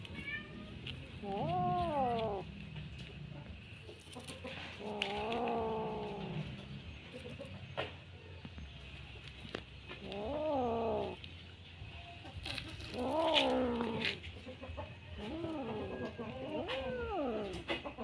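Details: Bengal kitten playing with a string: a series of drawn-out, wavering meows and yowls, five or six spaced a few seconds apart, some rising and falling in pitch, over light background rustling.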